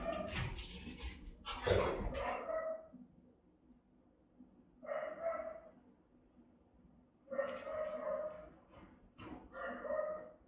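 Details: Three Rottweilers on house guard duty, caught by a camera they discovered; powerful, resonant barking from Melsee, with Siro adding a few barks, arrives in clustered bursts, a loud rustling knock near the start as a dog noses the device.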